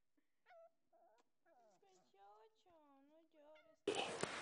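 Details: Playing husky puppy howling in a wavering, sliding series of tones, rising and falling, some lower and drawn out, ending abruptly in a loud burst of noise.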